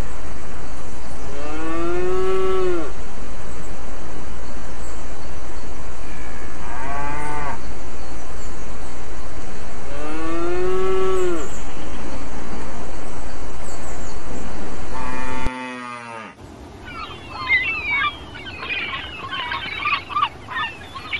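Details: Cows on pasture: four drawn-out harmonic moos, each lasting one to two seconds, spaced about four seconds apart over a steady low rumble, then the sound cuts to a different, noisier scene with scattered clatter.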